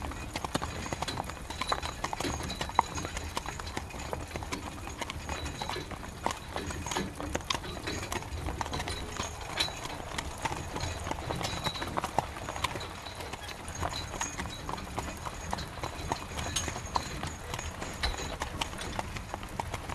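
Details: Hooves of a horse drawing a carriage through rain, a continuous train of clip-clop knocks with a few sharper accents, set against heavy, even rainfall.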